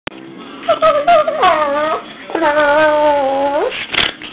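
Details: Two pet dogs, Lenny and Ruby, play fighting indoors, one giving a long wavering harmonic whine-howl that dips and rises, then a second steady drawn-out howl, with snorts and short scuffling bursts between.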